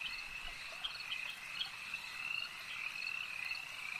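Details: Frogs calling at a lake, heard as a dense, unbroken chorus of high trilling croaks with scattered brighter pulses over a steady shimmering band.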